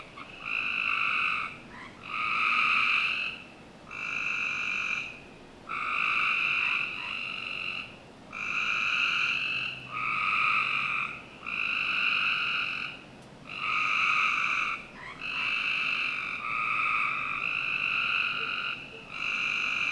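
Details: Frogs calling on a summer night in a Northern Virginia backyard: buzzy, harmonic trill-like bursts of one to two seconds, repeated steadily with short gaps, overlapping voices forming a chorus.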